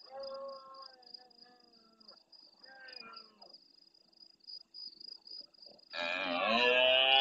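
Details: Large red deer stag roaring at nightfall in the Doñana marshes near El Rocío, Andalucía, Spain, answering more distant stags. Drawn-out harmonic groans sliding downward, a second shorter bellow, then a sudden loud rasping roar. Steady high cricket trill throughout.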